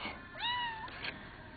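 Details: An indoor pet cat fixated on eating a ladybug answers back with one clear, drawn-out meow that rises then falls slightly, followed by a brief softer sound, while being told not to eat the insect.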